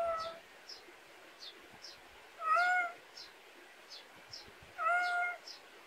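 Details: Domestic cat raised in the Korean countryside, in a backyard: two drawn-out, tonal meows about two seconds apart, each rich in harmonics, over a steady backdrop of short high chirps repeating about twice a second.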